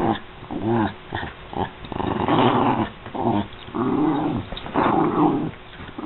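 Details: Vocalizing American Eskimo Dog: repeated throaty, tonal growls with wavering pitch, about one-second bursts separated by short pauses, heard indoors.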